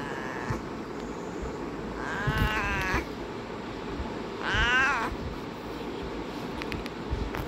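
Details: Domestic cat indoors giving two drawn-out meows, the second louder and longer, about two seconds apart, over steady background noise, followed by a person speaking in Hindi.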